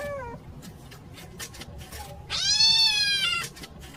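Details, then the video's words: Kitten crying for its mother: a short falling mew at the start, faint rustling, then one strong arched meow lasting over a second before fading. "Sweet Kitten Calling For Mama"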